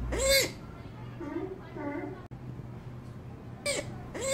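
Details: Vocal sea otter joey giving two loud, shrill squealing calls at the start and end, each arching then dropping, with quieter voice-like murmurs and a low background hum between them.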